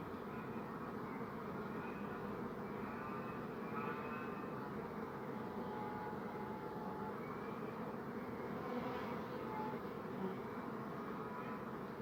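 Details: Bees buzzing in a steady, dense hum of many overlapping, wavering tones. No pauses and no other clear sounds.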